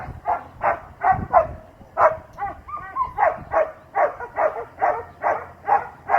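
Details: Asmar, a young Doberman, heeling beside a 14-year-old handler, gives a quick series of sharp barks, roughly two to three a second, with a brief whining, tonal stretch partway through.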